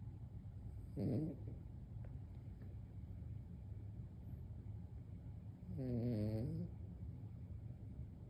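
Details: An old Maltese dog snores while asleep: two low, buzzy, harmonic snorts about five seconds apart, the second longer with a wavering pitch, over steady low background hum.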